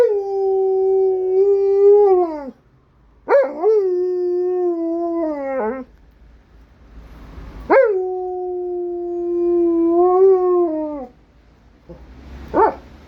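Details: Alaskan Malamute giving a series of howls: three long level tonal howls, each opening with a sharp upward swoop and ending with a downward slide, separated by short pauses, followed by a brief yelp-like rise at the end.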